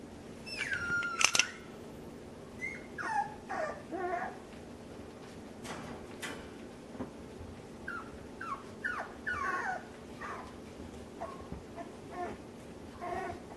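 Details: Puppies exploring new overhead obstacles and climbing objects give scattered short whines and yips, a loud squeal near the start, then brief rising-and-falling whimpers every second or two over a faint indoor room hum.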